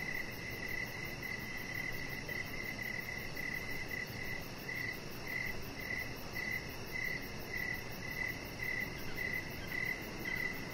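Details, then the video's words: Crickets chirping in the evening beside a deck where a chihuahua puppy named Rocket lies under decoration lights; short, high chirps repeat steadily about twice a second over a constant hiss of night ambience, with a faint fast pulsing far above. "Chihuahua Puppy Laying On Deck with Cricket Sounds"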